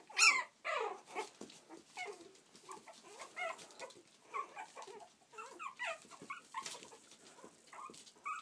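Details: Playful Yorkshire Terrier pups from Stockport, Cheshire, UK, opening with a shrill loud yelp, then keeping up choppy high whimpers, short squeaks and rising whines in quick irregular bursts.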